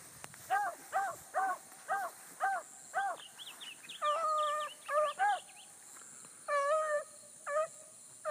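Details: Distant Bluetick Coonhounds running a big rabbit early on the morning of 22 July 2012. Evenly spaced short bays come first, then longer drawn-out notes, all faint over a steady background hiss.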